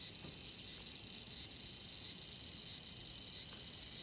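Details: Bear cicada, Cryptotympana facialis, producing a steady, very high, hissing buzz that swells slightly in regular pulses under a faint low background rumble.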